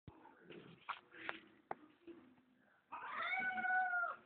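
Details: Toto, a female house cat, demands to be let outside indoors, kept in because of dogs outside; soft scuffling and short taps come before a long, loud, harmonic, slightly falling meow near the end, with a person refusing in Spanish.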